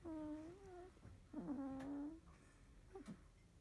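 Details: Field-type Labrador Retriever puppy, 16 days old with newly opened eyes, resting after nursing; soft, low, tonal whines, two drawn-out cries then a short squeak, quiet overall.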